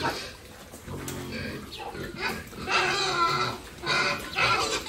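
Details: Pigs raised on a family farm for sale, calling with squeals and grunts that come in bursts, some voices rising and falling, mixed with rustling and background noise.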